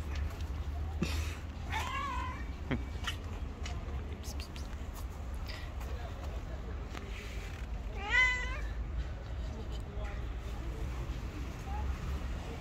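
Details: A white cat, angry and refusing to let anyone approach, lets out two wavering meows about six seconds apart, among scattered clicks and taps and a low rumbling background.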